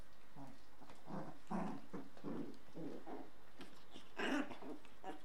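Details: A 38-day-old Shiba Inu puppy dancing around playfully with a small toy gives a run of small, throaty growls and grunts, with a brighter yelp near the end, as people laugh.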